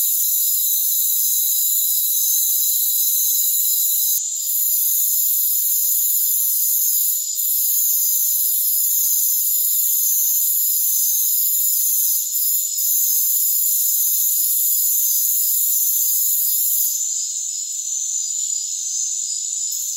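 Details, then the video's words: Steady shrill trilling from crickets in a rainforest fills the high range, with a few short breaks and a change in tone toward the end. "Rainforest Crickets"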